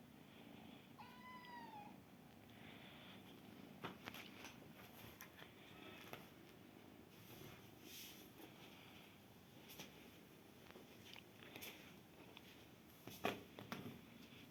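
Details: Bold, swaggering kitten acting tough with those around it; one soft, falling meow with clear overtones sounds early, then a quiet stretch of faint rustling, clicks and handling noises indoors.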